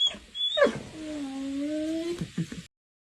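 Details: Dog reacting to its own reflection in a mirror for the first time: brief sharp yelps, then a long steady whine held for over a second, ending in a few short choppy yips.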